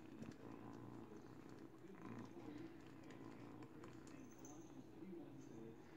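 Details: Kitty, an 8-week-old female kitten, chews on a baby blanket while teething and purring indoors; a quiet, steady low rumble runs unbroken through the whole stretch, with soft background hiss and faint clicks.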